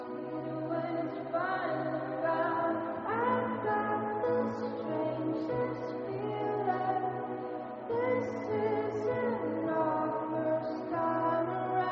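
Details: Layered choral singing with sustained voices over a steady low drone, continuous for the whole stretch, with no animal calls.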